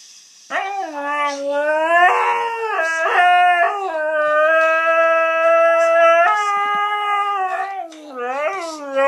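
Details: A female Siberian Husky howls along to a song in long, sustained, wavering tones that bend up and down; her owner suspects she hates the song and wants to sleep.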